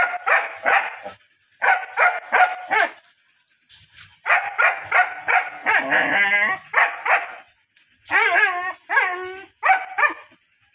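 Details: Long-coated black and tan German Shepherd barking loudly in bursts of three to five sharp barks separated by short pauses, with a stretch of yelping, whining sounds in the middle and near the end.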